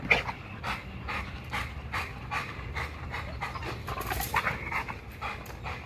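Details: XL American Bully working out on a heavy-duty spring pole at Caona Bullys, exercising neck, legs and jaws. Breathy panting bursts recur about twice a second, with scuffling and a steady low background rumble.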